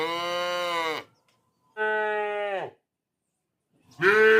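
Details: Village cow calling three times, each a flat, harmonic, nasal moo of about one second separated by silent gaps, the last call louder and rising at its start.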